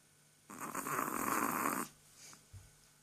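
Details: Sleeping Chihuahua snoring: one long, rough, breathy snore of over a second in a quiet indoor room, followed by a short fainter exhale.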